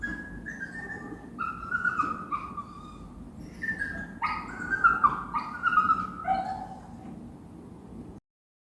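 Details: Plaintive whimpering of a dog or puppy, a sequence of drawn-out, high, wavering whines stepping up and down in pitch, growing louder midway before fading and stopping abruptly.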